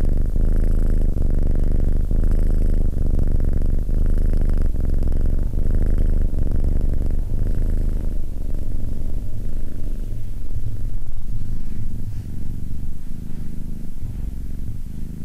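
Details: SimbAs, a male Abyssinian cat, sits calmly beside a person while purring. A steady low rumble is overlaid at first by a sustained tonal hum, which fades after about eight seconds, leaving the softer pulsing purr alone.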